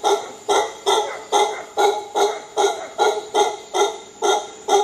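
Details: Howler monkey giving a steady series of hoarse, guttural calls, each a short breathy pulse with rich overtones, repeated a little over twice per second for the whole stretch, with no other clear sounds behind them.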